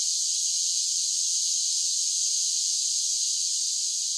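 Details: Loud summer cicada song: a constant, high, hiss-like drone with no rhythm or breaks, heard alone.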